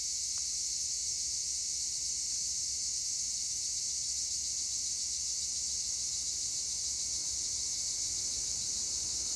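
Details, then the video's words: Tree crickets in olive trees, Edremit region of Turkey, give a uniform, bright, buzzing wall of sound. It holds steady throughout with only a soft low rumble behind. "Tree cricket noise in Olive trees"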